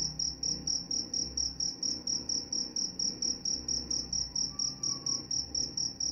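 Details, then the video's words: A steady run of high-pitched cricket chirps repeats about four times a second, sharp and regular, with a faint low hum in the background. "Suara jangkrik"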